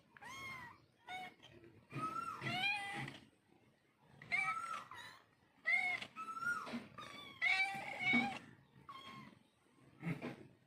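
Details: Mother cat and kittens calling to each other indoors: overlapping high, wavering mews, some rising then falling, come in bursts of one to two seconds with short quiet gaps between.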